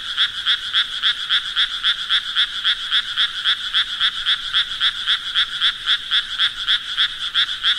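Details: Croaking frogs in an even, fast rhythm of rasping pulses, close to four per second, sustained throughout without pause or other noises.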